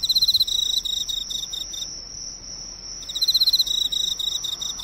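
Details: An Emma field cricket attracted to neighbourhood drugstore lighting gives clear, ringing pulsed chirps, falls silent for about a second, then resumes, with a steady high whine in the background.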